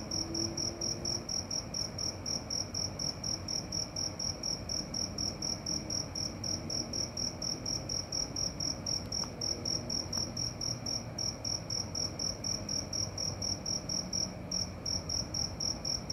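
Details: A cricket calls through the night with a continuous train of shrill, evenly spaced chirps, about four each second, a couple of faint clicks midway, and a quiet low hum throughout.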